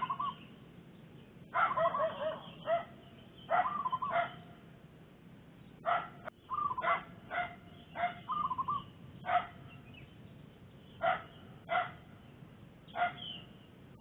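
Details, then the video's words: A domestic dog with puppies barks at zebra dove trappers in the Makassar Industrial Area: short harsh harmonic barks, singly or in quick pairs, every one to two seconds, with soft warbled dove coos between them. "Anjing Menggonggong"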